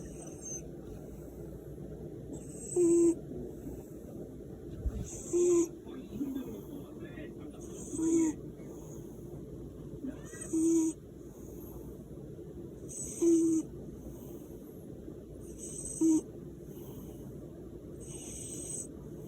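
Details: Korean shorthair cat asleep next to its owner, giving a real snore: soft hissing breaths, each carrying a brief whistled note, repeating at a slow, fairly even pace about every two and a half seconds against a low background hum.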